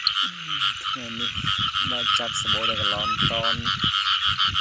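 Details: Frogs calling during the rain season: a dense, constant high chorus over which deeper tonal calls come in short harmonic bursts, some gently falling in pitch, roughly twice a second.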